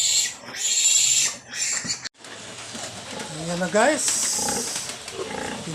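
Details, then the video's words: A newborn piglet from a sow's litter of 13 squeals loudly and harshly in a drawn-out cry, breaks off abruptly, then grunts and shuffles as a man talks beside it. "nanganak na Ang inahing nating baboy at pinagkaluoban Tayo Ng 13 biek"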